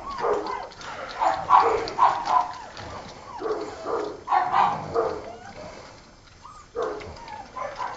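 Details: Six-week-old Old Tyme Bulldog puppies from a litter of three males and one female, newly weaned from their mother; clustered high yips and whimpers in bursts, with a quiet gap before a final short series.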